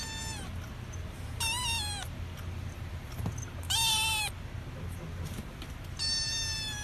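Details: Kitten meowing four times, short high-pitched cries about half a second each, spaced irregularly over several seconds, with a steady low hum underneath.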